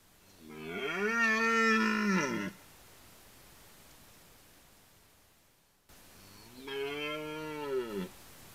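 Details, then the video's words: A red deer stag in a Polish forest during the autumn rut gives two long, throaty roars, each swelling then falling away over about two seconds. "Obserwator 47: Rykowisko / Deer rut"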